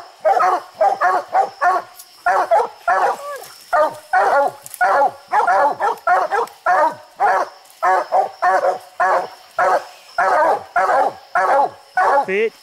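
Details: Dogs tree raccoons atop a steep hill, including Bandit in an orange collar; dense, rapid barking from more than one dog, overlapping and relentless, roughly two barks a second.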